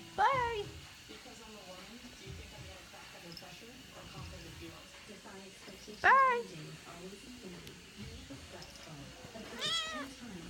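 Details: Sleepy tabby kitten, woken up, meows three times several seconds apart, each a clear, tonal mew rising and dropping away, with quiet human voices murmuring between.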